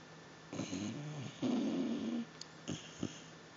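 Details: Jack, a sleeping Basset Hound, gives a couple of rough low snores, one drawn-out rattling breath lasting nearly a second, followed by small snorts in a quiet indoor room.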